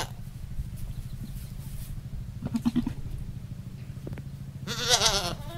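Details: On a rural goat farm, a male goat with a female gives one loud quavering bleat near the end, preceded by a short faint call, over a constant low droning hum.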